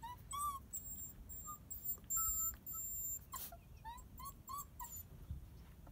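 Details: Fancy Pants, a seven-week-old female Border Collie puppy, whimpers in a string of high, thin, rising-and-falling whines and short yips, each a second or less, coming in quick succession with brief pauses between, over a quiet background.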